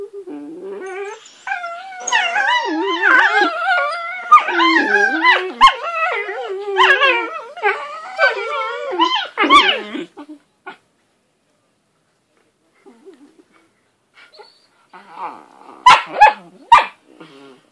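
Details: Whippet puppies being mouthy, a run of wavering, howl-like whines and yips overlapping for about ten seconds, then near silence before a few short sharp bursts near the end.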